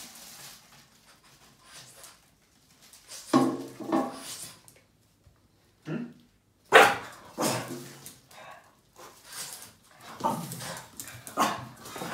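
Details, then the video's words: A Boston Terrier indoors, angry and barking at a trash bag; short harsh barks in scattered bursts with quiet gaps, some grumbling between them, in a small room. "Yoda the Boston terrier gets angry and bark at the trash bag"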